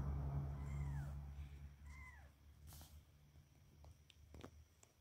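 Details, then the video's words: Three 31-day-old kittens, one male and two female, born 1 January 2024 and living in a village, give two short descending mews about a second apart over a steady low hum with a few faint clicks. "si kecil meow"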